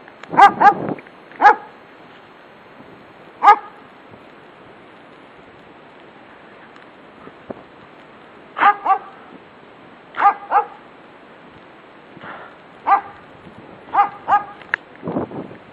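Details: A German Shepherd barks from its yard at a passer-by walking past, sharp barks in irregular bursts of one to three, with long pauses between, over a steady background hiss.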